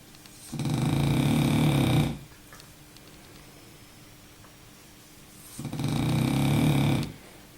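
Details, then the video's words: During a nap, the French bulldog Baboo produces two heavy, low-pitched rattling snores about five seconds apart, each near one and a half seconds long, in a quiet indoor room. "baboo un bouledogue français qui ronfle !!"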